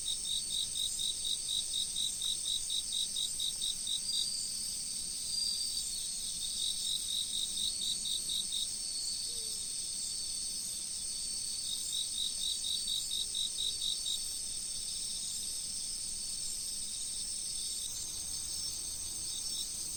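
Autumn insects trill steadily in high, pulsing chirps over the soft rush of a flowing river.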